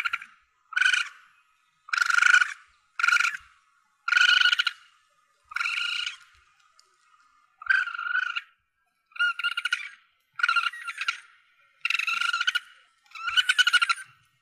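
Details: Asian palm civet young calling, a sound used by hunters to draw targets in. About ten rasping, harmonic squeals, each brief, repeated roughly every second and a half in a steady series.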